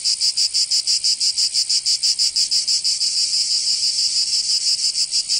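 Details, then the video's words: In the summer heat of Provence, southern France, cicadas give a piercing, electric-sounding buzz broken into crisp regular pulses, around three per second, steady across the short stretch. "Canto Cigarra 🦗 [ Escuchar les cigarras en verano"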